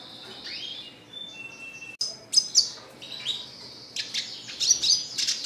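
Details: Red siskin singing in captivity: drawn-out high buzzy tones and rising slurs, followed by sharp bright chips and a quick chattering twitter toward the end.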